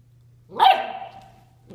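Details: Nine-week-old Bernese Mountain Dog puppy Zoey at 7 AM, trying to play with ten-year-old Max, who wasn't having any of it; one sharp, high bark rising then trailing off, indoors and otherwise quiet.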